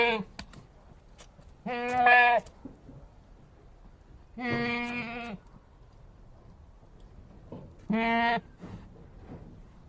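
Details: Three short, flat, nasal goat bleats at a steady pitch, a few seconds apart, with faint clicks and knocks in the background between calls.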